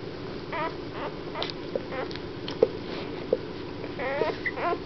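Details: Weimaraner puppies from a litter born 1 April 2009 in Mladkov near Boskovice give thin, wavering whines and short squeals, several voices overlapping, over a low steady hum and a few soft knocks in a small room.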